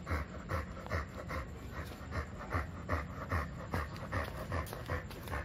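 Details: A two-year-old American Bully, wanting to play, pants steadily: soft breathy huffs repeated evenly about two and a half times per second throughout, with no other clear sounds.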